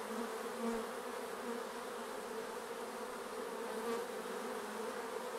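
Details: Bees around a hive, a dense steady drone of many wings with low humming bands, continuous and even throughout.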